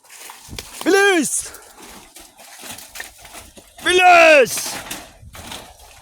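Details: Hungry goats being herded home on a farm give two loud bleats about three seconds apart, each rising and then falling. Between the bleats there are quieter rustling and outdoor sounds.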